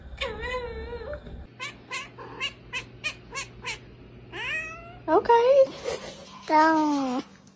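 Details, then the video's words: Domestic cat making funny sounds: one drawn-out meow, then a run of short, clipped chirps about every third of a second, followed by rising, then falling whiny meows. A faint steady hum runs underneath. "cats making funny sounds"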